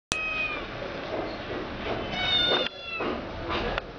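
A kitten mews several times in quick succession, with thin, high, tonal cries. The first meow is drawn out, and the later ones are sharper and shriller, separated by short pauses.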